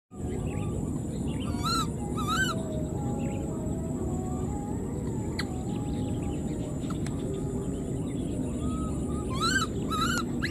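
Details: Wild newborn baby monkey, left behind, calling for its mother: high, arching, harmonic-rich cries come in pairs near the start and again at the end, over a steady low rumble and a constant high-pitched whine.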